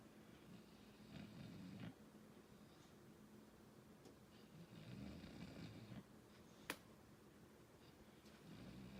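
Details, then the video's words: English Bulldog asleep and snoring, with deep rumbling breaths rising and falling about every four seconds, plus a single sharp tap near the end. "English Bulldog snoring"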